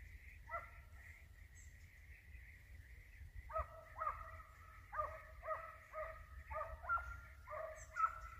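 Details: Hunting dogs pursuing a flushed hare: a long, steady, high tonal howl-like bay, then a series of sharp, ringing barks roughly every half second, with low wind rumble beneath.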